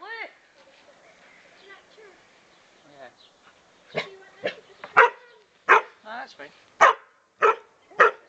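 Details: Psycho Lou, a dog, playing with a frog: people talk over faint sounds at first, then loud, sharp barks come roughly every half second through the last four seconds.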